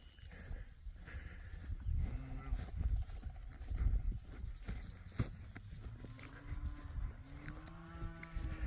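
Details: Cattle out to pasture, lowing faintly in the distance: a few low, drawn-out moos from about 2 s and again near 6 to 8 s, over steady wind rumble and outdoor noise.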